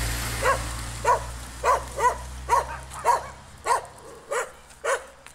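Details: A Jack Russell Terrier confronting a stray dog met while walking down the street gives a run of nine short, sharp, mid-pitched yaps at an even pace, about one every half second, over a low engine-like hum.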